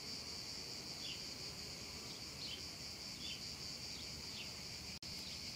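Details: Meadow cicadas on a hot summer afternoon fill the air with a continuous high, sizzling chorus and scattered faint chirps; the sound cuts out for an instant near the end before resuming.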